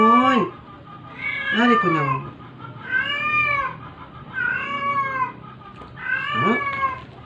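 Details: Dying stray cat meowing while being force-fed to survive; five arched, plaintive meows roughly every one and a half seconds, some starting with a low rising sweep, in a quiet indoor setting.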